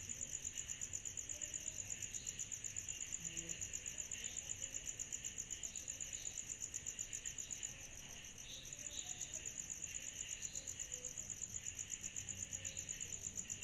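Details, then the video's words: Cicadas chorusing on a summer night: a steady, high-pitched pulsing trill repeating about four times per second over a softer, lower hiss. It continues almost without a break, with a faint low rumble underneath. "Summer Night Cicadas Sound Effect"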